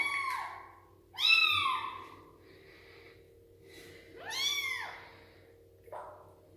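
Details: Young rescued street kitten, a female with no mother, crying through her first bath indoors: loud, arched, rising-falling meows repeated every second or three, the strongest around the middle, ending with a short faint mew.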